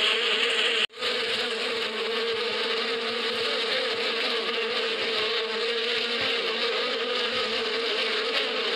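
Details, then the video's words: Many bees humming in springtime in the Badia, a dense sustained drone broken by one abrupt silent cut near the start, then resuming unchanged and steady to the end. "اصوات النحل في فصل الربيع"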